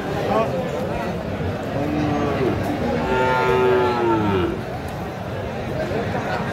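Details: Sahiwal bull calf about six months old at a livestock market in Faridpur, Bangladesh, gives a drawn-out moo with a second rising call, amid dense crowd chatter and background music.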